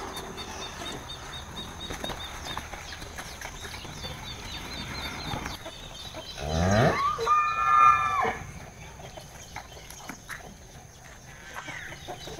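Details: A cow on a cattle farm gives a loud, drawn-out moo with a rising, harmonic-rich tone, calling to its companions.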